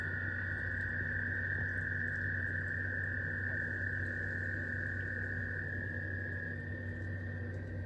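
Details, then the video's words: Spring 2023 frog chorus: many voices merge into a continuous shrill band that barely varies, with a steady low droning hum beneath it throughout. "Frogs spring 2023"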